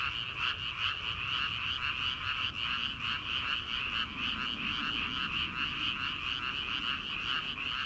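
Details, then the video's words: Frog chorus from rice paddies in early summer, before rice transplanting, heard late at night: dense overlapping croaks pulsing rapidly in a steady wall of sound, with a bright band of high rattling calls over lower trills. "초 여름 개구리 울음소리/ 논에서 들리는 개구리 소리"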